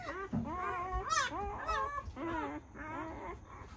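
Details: Newborn Great Dane puppies from one litter, squealing together in overlapping, wavering, high whines that rise and fall, several pups crying at once in quick succession with brief pauses, faint low thumps beneath.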